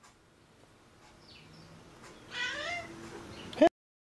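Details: A fat pet cat greets at night with a drawn-out meow, its harmonics rising then falling over about a second, after a person says hello; a faint earlier squeak and a short click at the end.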